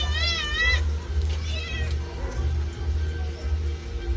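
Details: Domestic cat meowing while being bathed in the afternoon: one wavering, harmonic meow in the first second, then quieter faint cries under steady background music with a deep, pulsing low beat.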